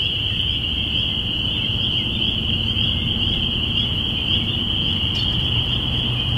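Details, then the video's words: Spring peepers heralding spring on April 5, 2017, binaural recording: a continuous high, piercing chorus of peeps rings without pause above a soft, low ambient rumble. "Spring Peepers"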